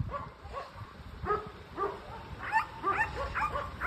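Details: A dog yelping and whimpering in short, sharp, upward-flicking cries, irregularly spaced and growing busier toward the end, with low rumbling background noise.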